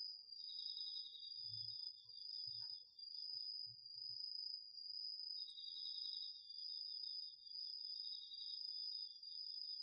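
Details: Nighttime autumn chorus of crickets and other insects in a home garden field, recorded with a DR-40X. An unbroken high ringing trill is joined by a lower pulsed trill that stops for about two seconds and then resumes, with soft low thumps early on.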